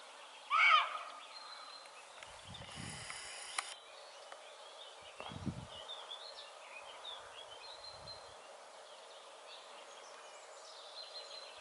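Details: Roe deer barking in Haute-Loire, France, observed 25 May 2022: one loud, hoarse, abrupt bark near the start, then a long quiet stretch of faint background noise with soft distant bird notes.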